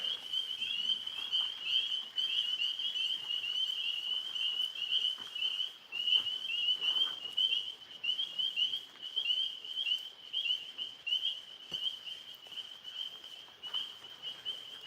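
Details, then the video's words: Tree frogs beginning to call at night by a pond after a rainstorm; a steady high trilling chorus, continuous and pulsing throughout, with faint rustles and soft background noise. "Oh, the tree frogs are starting to talk."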